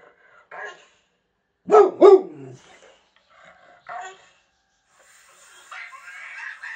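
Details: Boxer dog barking and talking with its owner: two sharp barks in quick succession amid quiet gaps, with a man speaking Swedish around them and a faint whine near the end.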